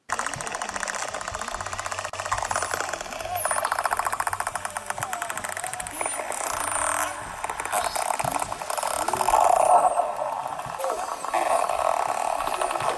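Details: Pantropical spotted dolphins underwater around a boat, from large resident groups of hundreds: high looping whistles over dense rapid echolocation click trains, a noisy chorus.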